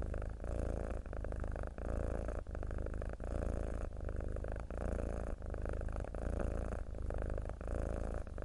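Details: Tabby cat of the mackerel pattern purring: a continuous low vibrating rumble that runs without a break for long stretches. Short quiet gaps mark each breath, coming roughly every 0.7 seconds, and no music is heard.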